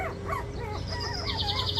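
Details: Litter of 23-day-old puppies moving about actively, giving short squeaky yelps that lead into a drawn-out, steady high whine, with soft background music and a voice underneath.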